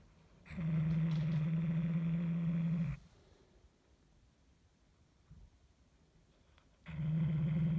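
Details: Indoors, the cat Hulusi guards its toy mouse with two long low growls, one of about two and a half seconds and another starting near the end, separated by a quiet stretch.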